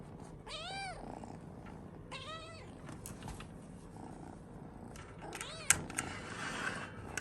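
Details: Kitten kept with a large dog in a multi-pet home, heard during the morning routine: two clear, high, arching meows in quick succession, then a softer third, over household background noise and a few knocks.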